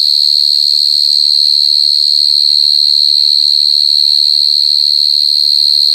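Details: Close, very loud mole cricket (gangsir) stridulation: a constant shrill, pure-sounding ringing note sustained without a break, with a couple of faint clicks.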